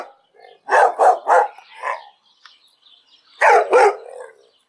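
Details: Dog giving rapid bursts of barks: three quick barks, a softer yelping note, a pause, then a final pair of loud barks, with faint high whines between them.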